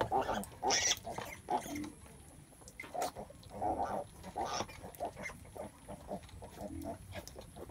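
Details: Mother pig (sow) giving birth; short, low, rough grunts come in uneven bursts, some doubled, with quiet gaps between them and faint background noise.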